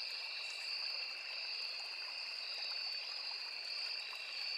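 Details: An unbroken, piercing insect drone from crickets in riverside forest, two high steady tones layered together, with a low murmur of running water throughout.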